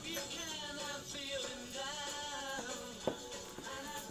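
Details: Steady instrumental music with sustained tonal lines and a faint synthetic vocal quality fills a small indoor space, with no animal sounds.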